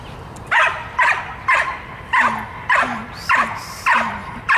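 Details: A 22-month-old dog in hold-and-bark training barks sharply and loudly, about eight barks in under five seconds at slightly uneven intervals, with brief quiet gaps between them.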